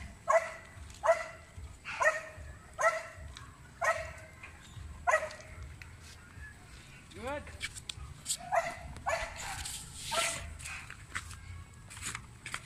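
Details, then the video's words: Belgian Malinois in urban search and rescue training on rubble, giving aggressive indications: sharp, harmonic barks repeated about every second, a brief rising whistled sweep midway, then more barks among scattered clatter and background noise. "Belgian Malinois Urban Search and Rescue Canine Training on Rubles with Aggressive Indications"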